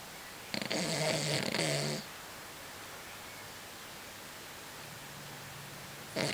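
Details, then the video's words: An elderly female Blenheim Cavalier King Charles Spaniel snores with a long, rasping, rattly breath, then falls quiet before the next one. "My Beloved Dog Snoring (Cavalier King Charles Spaniel)"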